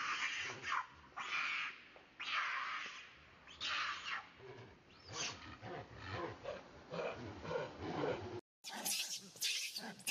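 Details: Monkey chased by another monkey screams loudly, calling for help: harsh bursts repeating every second or two, then a run of shorter, softer cries, ending with an abrupt cut to brighter, shriller screeches.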